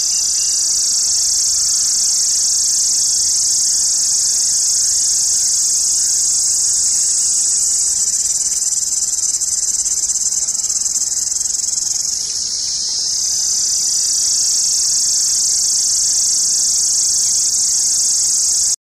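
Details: An Indian cicada in summer gives a loud, steady, high buzzing drone, unbroken except for a brief dip midway.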